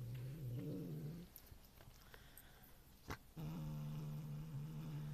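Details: Domestic cat growling while eating a piece of cheese, aimed at another cat even after she has left; low, rough, droning growl for about a second, a pause with a sharp click, then the growl resumes steady and sustained.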